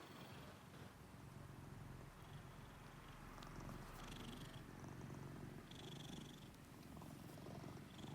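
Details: An American Shorthair cat purring while being stroked under the chin: a soft, continuous low rumbling purr, with faint rustling of fur and hands.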